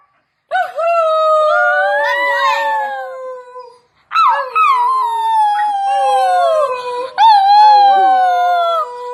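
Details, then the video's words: Dog singing in two long, wavering howls separated by a short silence, each rising at the start, wobbling in pitch, then sliding down, with a third overlapping howl near the end. "Dog singing"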